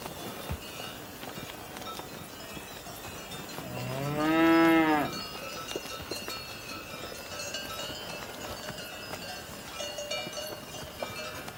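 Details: A cow gives a single rising-then-falling moo lasting just over a second, harmonics arching upward mid-call, amid a quiet farmyard background with faint high tinkling tones.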